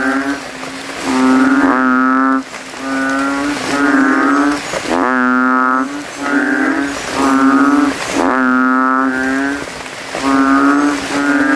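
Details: Banded bullfrogs (kodok kintel) calling at night after rain from a puddle in a cemetery, throats puffed out, many males competing to be loudest. Deep, droning, nasal bleats overlap in near-continuous waves, a fresh note rising about every one to two seconds.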